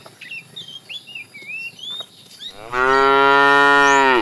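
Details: A fat cow in a herd of tame cows being driven in the afternoon, calling the female: one long, loud, steady moo that starts after a quiet opening of chirping birds and runs to the end.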